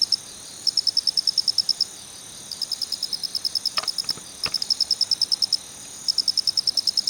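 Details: Male Phonarellus ritsemai cricket giving its 'kichi-kichi' call, fast high clicking pulses in groups lasting about one second, with a fainter, softer train in the middle and a few brief background ticks.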